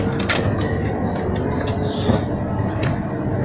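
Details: Loud continuous rumble of a moving vehicle with rattling and clanking, mostly low-pitched, with a few brief knocks; no animal calls stand out.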